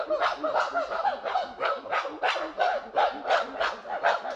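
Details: Chimpanzees in a group, calling in rapid rhythmic pant-hoots about three per second, several animals overlapping, with harsher excited voices mixed into the steady panting chorus.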